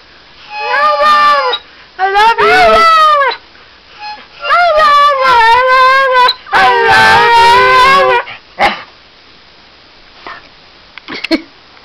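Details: A female Siberian husky gives wavering, sliding howls in bursts, "singing" along with steady harmonica tones she loves.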